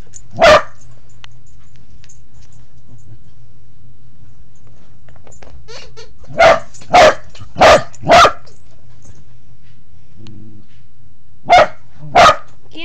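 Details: Crawling low beneath a bed, a Pembroke Welsh Corgi lets out a single bark, falls quiet for several seconds, then fires a rapid run of four barks, a brief low grumble and two more barks.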